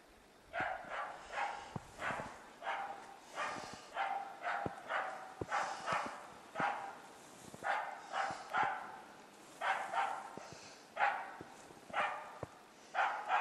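A dog bays with steady, hoarse barks, roughly one per second, holding a capercaillie for the hunter.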